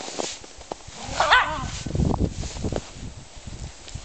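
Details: German Spitz Mittelspitz dogs playing; a single high yelping bark rings out, followed by low grumbling growls and scuffling sounds.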